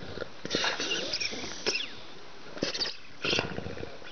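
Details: Bulldog playing with a ball, its new favourite toy, giving short snorting, grunting bursts in quick clusters separated by brief pauses, with faint rustling between them.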